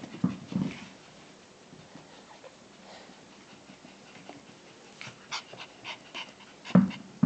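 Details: A 13-week-old Shiba Inu puppy gives short grunts, whimpers and panting bursts at irregular intervals while playing.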